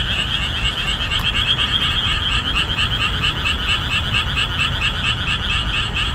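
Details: Chorus of boreal digging frogs calling at full voice in summer marshland just after the rainy season ends; dense, rhythmic, repeated croaks in two stacked bands overlap continuously, over a steady low rumble.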